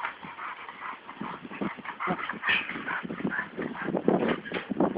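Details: American Staffordshire Terriers Brunó and Shába during a training session, giving dense, noisy yelps and barks in irregular overlapping bursts with a whining edge, steady at moderate loudness throughout.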